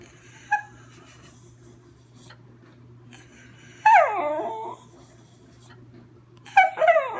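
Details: Riley, a schnauzer, sings with a short yip, a pause, then a long whining howl that falls and wavers, followed by another rising yelp at the end, with a low electrical hum throughout.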